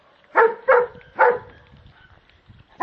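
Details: A German Shepherd dog that is afraid of a Kong toy. It gives three sharp, mid-pitched barks in quick succession, then one more after a pause. A person coaxes it in French.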